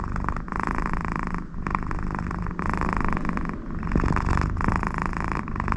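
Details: Contented American Shorthair cat, Connie, purring loudly just because her owner sits next to her; continuous deep rumble swelling and fading with each breath, raspy snore-like nasal noise on the louder phases, indoors.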